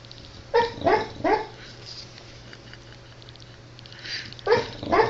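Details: Dog barking in a funny compilation: two quick harmonic barks close together, a third soon after, then a pause and two more sharp barks near the end, over a steady low electrical hum.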